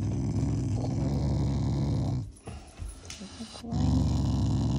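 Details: Shiba Inu, a loving family dog, growling as an affectionate expression toward its owners rather than in anger; low rumbling growl running continuously, broken by a short quieter gap near the middle, then resuming.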